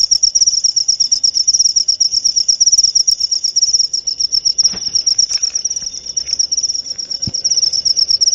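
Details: Cricket chirping used against rats, a high, rapid pulsing trill running steadily, briefly dipping mid-way, with a couple of faint clicks in the background.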